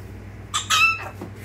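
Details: Baby prairie dog named Poppy barking: a high, clipped chirp-like bark followed at once by a longer, slightly falling one, then a faint trailing echo. Soft human greeting precedes it, with a low steady hum underneath.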